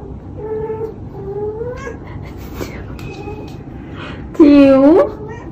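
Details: A frightened domestic cat from a funny cat compilation gives two drawn-out, slightly rising meows, then a short quieter call, and ends with a sudden loud, wavering yowl near the close, over low background hum.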